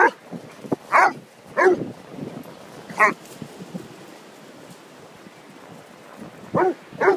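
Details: Whippet and Basset Hound playing on Holkham Beach; short, sharp barks and yips in bursts about every second or two, with pauses, over soft background wind.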